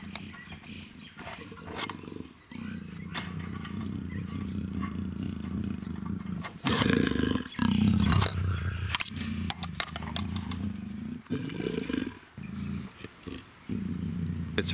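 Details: Luna, a captive female black African leopard in her first heat at the Cheetah Experience breeding center, growls in long low rumbling bouts with brief pauses, loudest midway; a person's voice is faintly heard.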